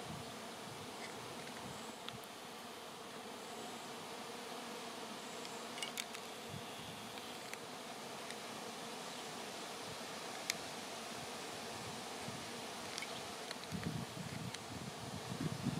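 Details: A mass of honey bees swarming outdoors before clustering on a branch for relocation; an unbroken, even buzzing hum of many wings lasting throughout, with a few faint clicks.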